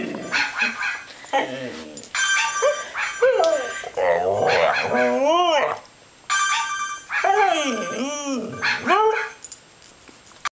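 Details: A female Belgian Sheepdog howls at a phone ringtone she hates, in wavering, rising-and-falling tones: several drawn-out notes over about ten seconds, with the ringtone and a little speech in the background.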